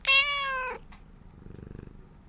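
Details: A talkative domestic cat in a household with two females, a three-year-old tuxedo and a black cat of about eight. It gives one loud, clear, harmonic meow lasting under a second, steady then dropping at the end, followed by quiet rustling.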